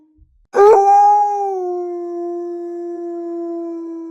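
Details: Wolf giving a single long, steady howl that starts with a brief rising onset, then holds a pure, slightly falling tone for over three seconds without break, in otherwise quiet surroundings.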